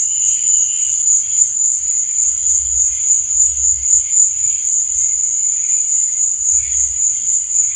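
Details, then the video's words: Crickets chirping at night: a steady, high, shimmering trill runs unbroken throughout, with fainter lower chirps flickering beneath and a soft low rumble at times. "Cricket Sound"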